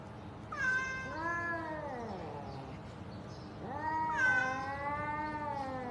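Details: Cute cat giving two long, drawn-out meows, each starting high then sliding slowly downward, separated by a pause of about two seconds, in a quiet room.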